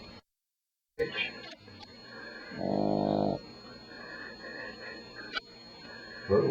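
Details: Daisy, a Beagle puppy about four weeks old, asleep at night beside a man's ear, gives one low, rasping snore lasting under a second, set against a steady household hum and faint tonal background noise.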